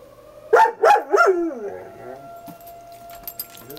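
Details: Female dog howling alone on a porch at the fire whistle: three quick wavering yelps sliding into a long falling howl, then the steady tone of the fire whistle continuing with faint rustling.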